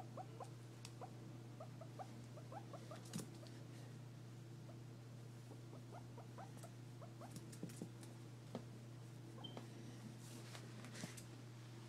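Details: A guinea pig gives quick, soft squeaky chirps in bursts over a steady low hum; owner is unsure whether it is happy.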